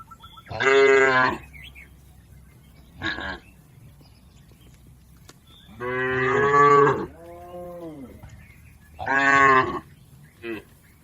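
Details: Tame village cattle in a green field, a grazing herd, moo repeatedly: long harmonic bellows alternate with short clipped ones, one followed by a softer lower moo, over a faint outdoor hum.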